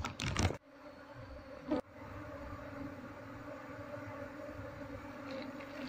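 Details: Scattered honey bees fly about searching for their queen as the colony is being moved into a box; a loud handling burst and a crack, then an even, sustained humming drone.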